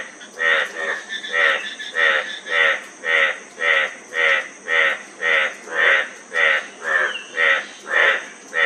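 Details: A single frog dominates with very regular raspy, pulsed croaks, nearly two each second, steady in loudness, with a faint continuous hiss behind.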